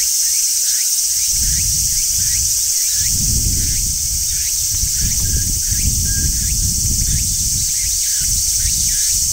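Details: Constant high sizzling drone of a large brown cicada singing on a tree in summer, with faint repeated upswept chirps from another animal and rolling low rumble in the background.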